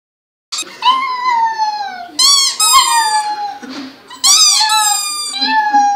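A dog howls in long, high, wavering tones that slide down and break into short yelps.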